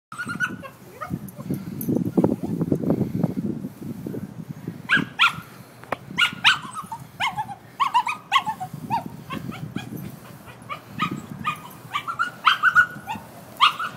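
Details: Small dog, tied up and left outside while its people go inside, very upset and crying out for its companions; rumbling background noise for five seconds, then high, wavering whines and short yelps repeated in quick bursts.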